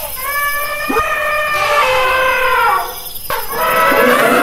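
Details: Elephant trumpeting in a loud, brassy blast with stacked harmonic bands, breaking into two or three strained, wavering calls with a faint hiss behind.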